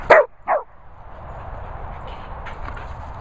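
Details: A dog gives two sharp, loud barks in quick succession, about half a second apart. A steady low background rumble follows, and the dog stays quiet after that.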